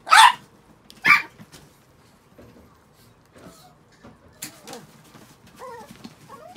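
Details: Chihuahuas, six pet dogs after a shampoo; two sharp, loud barks open the recording, followed by quieter scattered yips and whiny squeaks.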